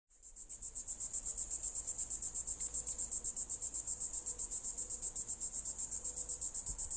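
A cicada gives a shrill, high buzzing call that pulses rapidly and evenly, about seven beats a second.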